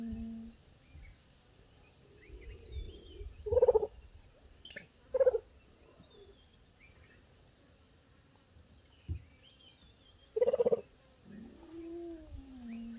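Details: At breakfast, a mother cheetah calls her cubs to come and eat meat with soft, gentle, bird-like chirps and purrs in scattered bursts. Between calls there is quiet with a low outdoor rumble and softer murmurs. The cubs come running, though one stays on a mound keeping watch.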